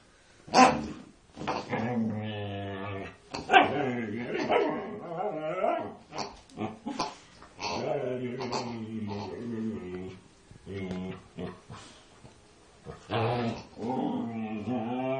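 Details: Female Siberian Husky, unusually vocal during an attack on a pig: a long run of yelps, wavering howl-like moans and short grumbling growls in irregular bursts, with gaps between phrases.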